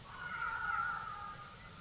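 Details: Jackals calling in the evening at Naledi Dam, most likely alarm calling at lions, with an eagle owl drinking nearby; one sustained, slightly wavering wailing note lasting about a second over a quiet background.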